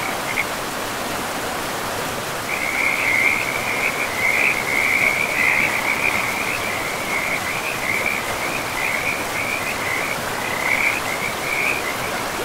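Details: A frog by a forest river in pristine, moss-covered woodland: a short opening note, then a long, high, chattering trill that stutters along for most of the clip over the steady hiss of the river.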